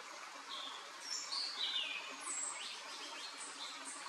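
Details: Hylodes asper frog at Paranapiacaba, São Paulo, Brazil, recorded 12 December 2020: thin high whistled notes, some sliding up or down, scattered across a few seconds over steady rushing water noise.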